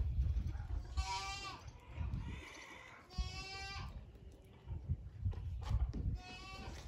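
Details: Young male Toy miniature goat kid playing with its father; three loud, quavering, nasal bleats, each about half a second long and spaced a couple of seconds apart, over low thumping and rustling.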